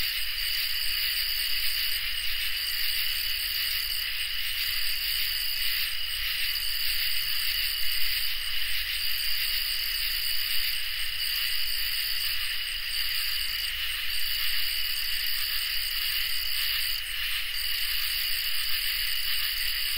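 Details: Crickets and katydids in a summer night chorus, recorded in high definition: several steady, shrill high trills layered at different pitches, with a continuous, even hum and no pauses throughout.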